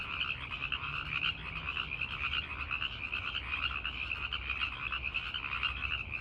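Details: A dense night chorus of male tree frogs calling to listening females: rapid trilling calls blending into a steady, high-pitched shimmer.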